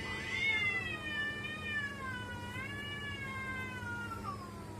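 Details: House cat's weird sound: one sustained, wavering yowl almost five seconds long, pitch dipping and rising in gentle waves with many bright harmonics, over a faint steady hum.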